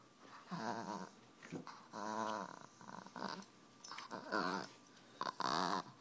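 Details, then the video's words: Indoors, a 10-month-old rescue Miniature Pinscher named Boba Fett makes funny growling noises, a string of throaty harmonic growls about a second long, roughly one each second, with small clicks and knocks between them. "Growling Min Pin"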